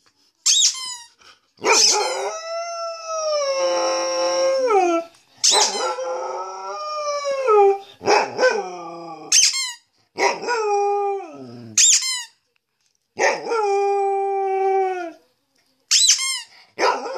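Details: Samoyed dog "singing" indoors: long wavering howls with rich harmonics, sliding and bending in pitch, broken by short high yips and squeaks, several drawn-out notes over about seventeen seconds.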